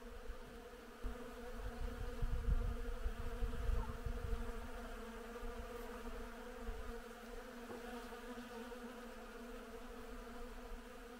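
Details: A steady drone of bees working spring-flowering willow, the hum layered and even, with a stretch of rough low rumble in the first seconds before settling.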